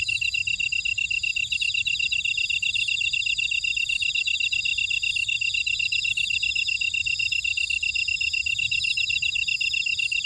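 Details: In a buckwheat field at Ora-dong on Jeju Island, South Korea, grass insects produce a continuous piercing chorus of stacked high trills and rapid chirps, with a faint higher tick recurring roughly every two seconds.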